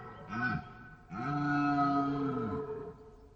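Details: A deer gives a short groaning call followed by a longer drawn-out bellow that arches up and then falls away, resonant and nasal, with a quiet tail at the end.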